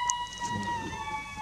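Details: A golden jackal with its mate in the meadows of Kanha Tiger Reserve, Madhya Pradesh, India gives a long, steady, high wailing howl that sags toward the end, perhaps warning of the human intruders.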